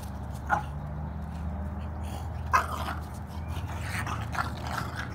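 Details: French Bulldog play-fighting with its brother indoors: two sharp, short yips or barks about two seconds apart, over a steady low hum and rustling noise.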